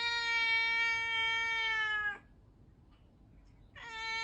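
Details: Domestic cat in a funny-moments compilation giving a long, steady, flat-pitched meow of about two seconds, then a short pause before a second meow begins near the end; quiet background otherwise.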